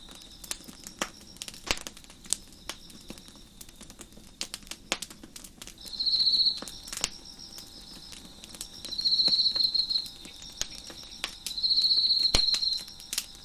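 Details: Crickets chirp behind a crackling deck fire. After several seconds of snapping wood and a faint high insect drone, three strong high-pitched buzzing trills of about a second each arrive at intervals of roughly three seconds.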